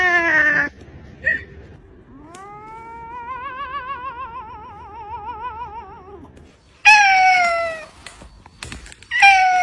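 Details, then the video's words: Cat giving a short falling meow, then a long wavering yowl with a steady rapid tremble lasting about four seconds, followed by two loud descending meows after a pause. "sounds of cat's meow meow"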